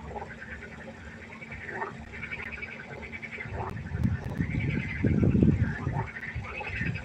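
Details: Frogs in a night chorus by a pond, overlapping nasal, pulsed croaks that ripple continuously from several callers, with a loud burst of deep low rumbling near the end.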